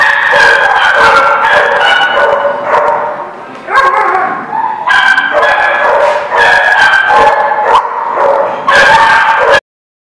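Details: Several dogs at a dog play area bark, yip and whine almost continuously in a loud, overlapping chorus, with a brief rising howl-like whine near the middle; the recording ends abruptly.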